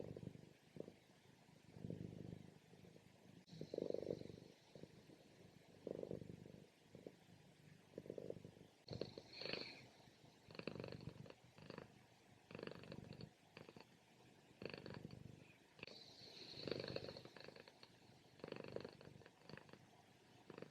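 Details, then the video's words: Mouse, a pet cat, during her morning nap, known for very loud purrs and equally loud snores: rough low rumbling pulses rise and fall in breathing cycles roughly every one to two seconds, with some breathy, hissing snore bursts. "From Purring To Snoring | Relaxing Cat Nap"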